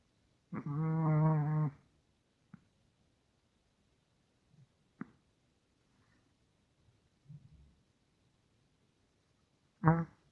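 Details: Sleeping Russian Toy Terrier snoring indoors: one drawn-out, rattling snore lasting over a second, a few faint soft breaths and snuffles, then another short snore at the end.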